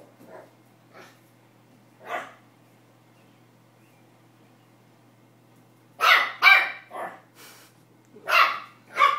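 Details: Excited Pomeranian puppy at play with a tennis ball, barking for the first time: a few soft, scattered yips, then a burst of loud, high, rapid yaps in irregular clusters over a faint constant hum.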